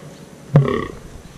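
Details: A fallow deer buck in the Deelerwoud, Netherlands, heard on a morning deer-watching outing, gives one short, deep, belching groan, the subdued rutting call of males.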